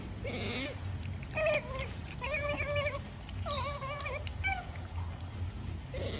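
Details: Otter eating, giving short squeaky, wavering chirps in quick bursts, with pauses between them, over a steady low rumble.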